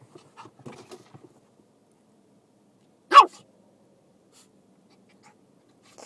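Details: Oscar, a Shiba Inu puppy going crazy over ice cubes, lets out one sudden loud bark midway after light shuffling and tapping sounds, with near silence around it.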